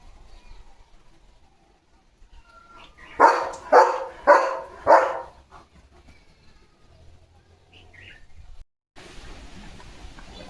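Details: Leo, a German Shepherd kept as a pet, gives four loud, evenly spaced barks about half a second apart. A quiet stretch follows, then a rush of broadband noise near the end.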